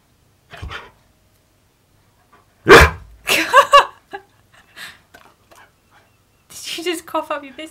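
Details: Siberian Husky Keyush talks back indoors, refusing to sit on command: a harsh huff, then throaty grumbling yowls and a wavering, warbled moan near the end, interleaved with a person speaking to him.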